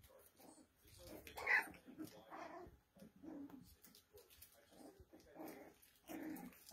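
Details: Poodle puppies giving short, soft whimpering yelps in scattered bursts, with one sharper squeak partway through and quiet rustling between calls.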